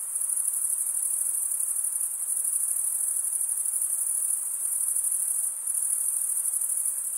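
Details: Male crickets producing their stridulation chirp as a bright, sustained high trill, dipping briefly twice before returning, in otherwise quiet surroundings.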